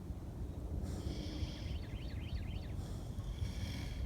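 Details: Two sleeping Kunekune pigs, PorkChop and Petunia, resting in the sun: two long, airy snoring breaths about two seconds apart over a low rumble, with a quick chirping bird trill between them.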